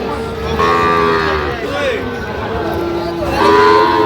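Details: {'caption': 'Sahiwal bull calves at a cattle market in Goalabazar, Sylhet, Bangladesh, on 8 October 2025, giving drawn-out, mid-pitched moos. One starts near half a second and another comes at the end. Men talk throughout, with crowd noise behind.'}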